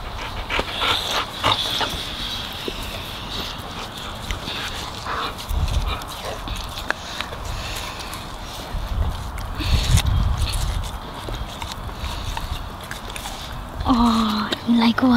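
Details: Labradors munching and gobbling a juicy watermelon; wet crunching and chewing clicks run throughout, with a short whimper-like tonal whine near the end.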